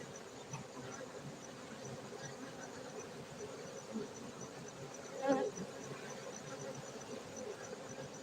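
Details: Honey bees kept for honey in Gayo, Bener Meriah, Aceh, Indonesia, giving a steady low hum throughout, with one short louder buzzing pass about two-thirds through.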